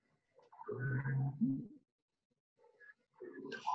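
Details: A humpback whale sings a low, groaning moan that bends upward, then gives higher squeals and whistles; songs last minutes to two hours and are repeated day after day with small variations.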